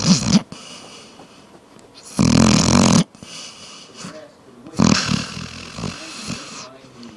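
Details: Sleeping female pet dog named Juno snoring like crazy indoors: loud, harsh, rattling snores roughly every two to three seconds, each a long noisy inhalation with a buzzing low rumble, quieter breathing between.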